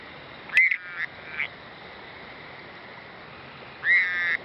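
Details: Frog calling at night: a short, bright, nasal note with a slight upward bend near the start, a fainter follow-up a moment later, then a longer, steadier honking note near the end. The background is quiet.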